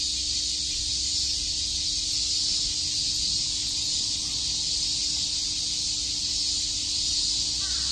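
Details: Summer daytime chorus of cicadas at Shakujii Park in Tokyo, a continuous shrill sizzling drone without pauses or clear pulses, level and even from start to finish, over a faint steady low hum.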